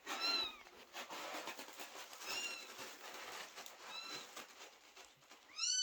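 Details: Worried kittens wait outside a door as mother cat Chloe gives birth, meowing loudly for unborn siblings; four short, slightly rising meows spaced over several seconds above a steady hiss of background noise.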